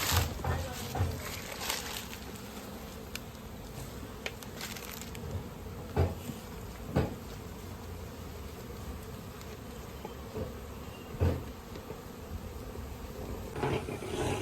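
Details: Honey bees at a village bee farm in India while natural honey is collected, giving a continuous low buzzing drone broken by occasional sharp knocks and thuds, with faint speech nearby.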